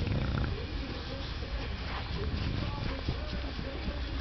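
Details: A male English Bulldog having his belly scratched gives a low, rumbling, purr-like grumble of contentment, snorty and continuous.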